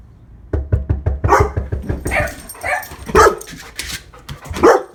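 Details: One-year-old female Labrador Retriever, a pet dog, barking: a run of soft rapid thumps, then deep, rough barks spaced about a second apart, the last two loud and ringing.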